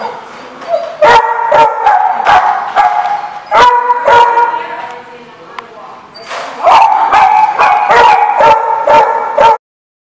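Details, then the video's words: Dogs bark and yip in quick repeated bursts, roughly two a second, with a short quieter gap midway before the barking picks up again; a voice may be faintly present. "The Barking Lot"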